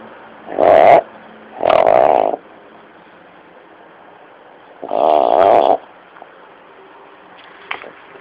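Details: Sleeping pet dog snoring and twitching; three raspy, nasal snoring breaths, two close together and a third after a pause, with a faint click near the end.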